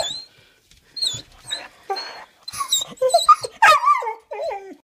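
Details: Gandalf, a male Weimaraner puppy almost five months old, whines eagerly at the door before a walk: high, bright yelping whines that rise and fall and slide downward, in quick irregular bursts with short pauses between them.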